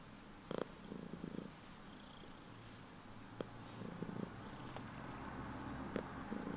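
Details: Heliana, a pet cat, purring loudly at bedtime indoors: several brief low, pulsing purr bursts spaced a few seconds apart, with sharp clicks and small rustling sounds between them.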